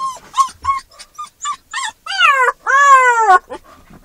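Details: Max, a Newfoundland-Labrador mix puppy in his first week home, gives short whimpering yips and then drawn-out, wavering howls in a car, upset at being separated from his people.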